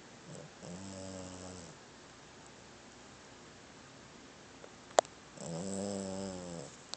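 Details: Old small dog snoring in her sleep: two drawn-out, harmonic, wheezy snores about a second long, separated by a quiet stretch with a sharp click, indoors.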